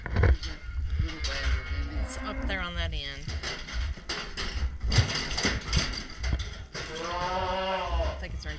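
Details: Red Angus calves and cows being worked in a pen during castration; two drawn-out, wavering bawls near the third and seventh seconds, the second longer, amid people talking and the clatter of handling.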